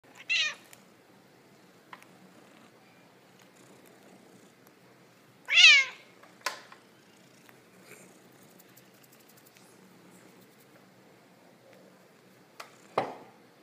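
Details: Fussy domestic cat meowing in short, sharp bursts: a quick meow at the start, a louder wavering meow with a brief follow-up midway, and a final clipped cry, with near silence in between.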